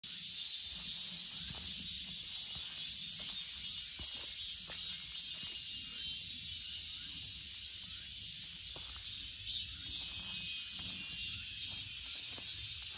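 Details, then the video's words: Cicadas calling in a continuous, hissing high-pitched drone that holds steady throughout, with an upper whine above it and scattered faint low clicks underneath. "Cicada 매미"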